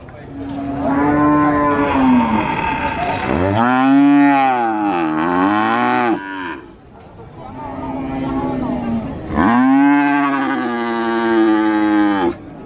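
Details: Cattle at the Sokaraja cattle market in Purwokerto, Banyumas: two long, loud harmonic moos, the first level then falling, the second arching up and down, with market murmur between them.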